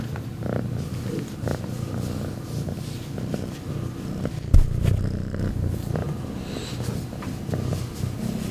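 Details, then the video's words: Loud, deep purring from Rambo the cat, an even low vibrating drone throughout, broken by one sharp knock or bump about halfway through. "Rambo Purring Loudly"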